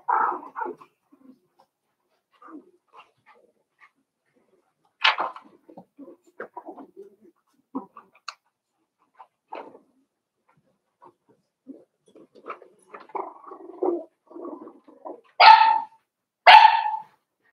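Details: Five-week-old Cavalier King Charles Spaniel puppies from Daisy's litter in their puppy pen. Scattered soft whimpers and squeaks with quiet gaps, ending in two louder, sharp yelps close together.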